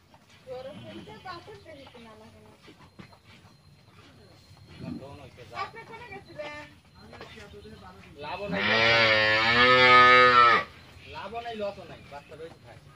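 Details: Twelve-month-old Friesian heifer calf on a dairy farm gives one long, loud, rich moo lasting about two seconds, with quieter Bengali speech before and after it.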